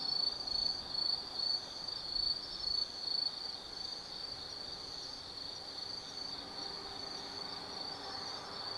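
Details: Night chorus of autumn insects at Tsukimi no Mori forest in Kaizu, Gifu, Japan: a high sustained ringing trill, with louder rhythmic pulses in the first three seconds, then an even drone over faint background hum.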